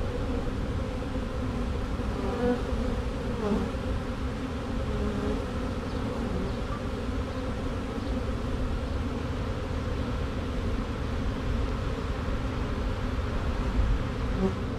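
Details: A caught honey bee swarm with two queens marching into a hive box along a drywall board; thick, even buzzing drone throughout, low-pitched with faint wavering overtones.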